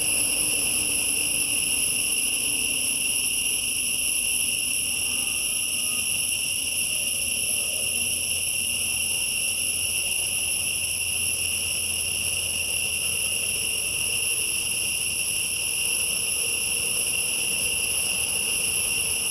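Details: A sustained high, ringing insect drone fills a forest, several bright tones layered and unchanging for the whole stretch, with a faint low hum in the middle section.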